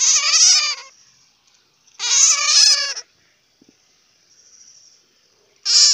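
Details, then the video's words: Three harsh, rasping bursts of squealing chatter from a bat, each about a second long, the middle one two seconds after the first; a faint thin high tone hangs in the quiet between them. "Bat sound ( suab puav quaj)"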